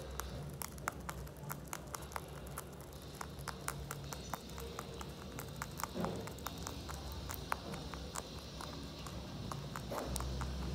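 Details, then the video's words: Loud hay-eating by Mochi, a Holland Lop rabbit: steady crisp crackling crunches repeating quickly, a couple of softer rustling chomps midway and near the end, soft background hum and faint high whine. "ASMR Bunny Eating too loud"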